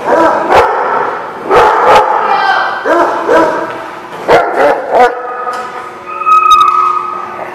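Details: Dogs barking at a lot on December 18, 2015; sharp barks in bursts roughly every second or so, overlapping yips, then a higher sustained tone near the end over continued barking.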